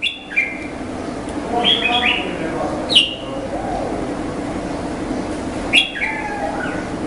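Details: Indian flying fox giving short, shrill squeals with stepped, downward-falling tones, in several bursts spaced a few seconds apart, over a steady low background hum.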